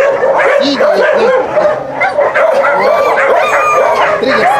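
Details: Husky kennel visit during recall training: a crowd of dogs yelps and barks in quick overlapping bursts, with sliding whine-like tones rising above; a person speaks briefly near the end.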